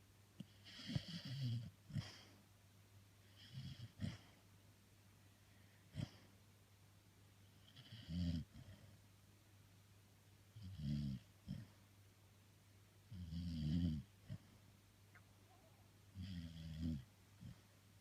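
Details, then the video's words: Jessie, a female Labrador Retriever, snoring while asleep indoors: seven low, rough, rumbling snores come every two to three seconds in a quiet room, each one a drawn-out nasal rasp. "Лабрадорша Джесси храпит"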